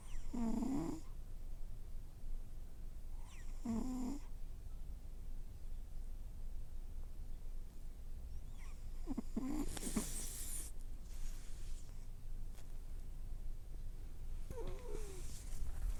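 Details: Elderly cat snoring lightly while asleep indoors, after briefly waking and moving its mouth; soft low breathy rasps recur every few seconds, with short higher hissing bursts among them over a steady low hum.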